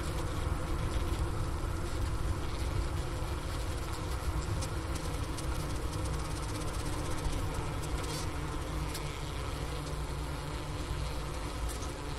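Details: Honey bees in their hive during winter, Ohio State University Wooster campus, mid-January 2024 at about 4 PM in 15 °F cold. The recorder is beside the inner-cover hole and the remains of a winter sugar brick. A low unbroken buzzing drone runs throughout.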